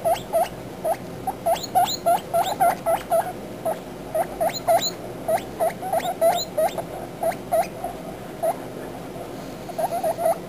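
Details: Young guinea pigs calling together, a steady stream of short, high chirping squeaks, each rising sharply at the end, about three or four a second with uneven spacing and brief gaps.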